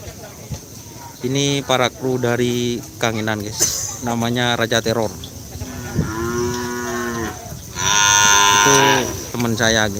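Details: Kerapan sapi racing cattle at Asemanis ground, Pamekasan, Madura, Indonesia; a run of short harmonic moos in quick succession, then longer drawn-out lowing calls, with crowd noise beneath.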